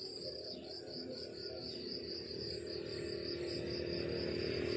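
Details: Morning countryside crickets give an even, rapidly pulsed high chirping that runs unbroken, steady and regular, over a soft low rumble that slowly grows louder.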